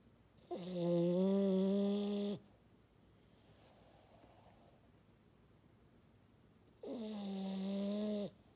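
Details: Maddi, a French Bulldog, snores with a deep fog-horn tone: two sustained, steady, harmonic snores nearly two seconds long, separated by a quieter softer breath.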